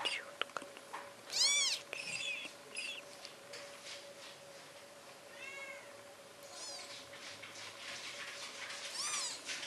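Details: Tiny British Shorthair kittens, just four days old, from the Amazing AISHA cattery in Poland, squeak out scattered high, curved mews between soft shuffling and rustling, with a steady hum underneath.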